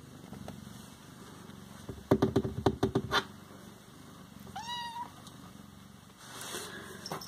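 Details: Siamese cat indoors: a quick burst of sharp taps and clicks, then one short, bent meow, with soft low purring in the background.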